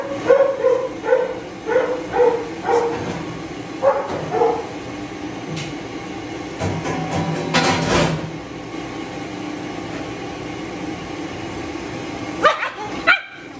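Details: Shih Tzu being dried during grooming; the dog is always matted and bites from pain. Short tonal whimpers repeat in quick bursts over the first five seconds, then fade beneath the steady roar of a dryer.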